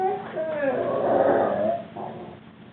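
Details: Juba, a young Rhodesian Ridgeback put in a crate for a time out three weeks after arriving at his new home, voices his unhappiness with a drawn-out, wavering, moaning whine that slides up and down before fading away indoors.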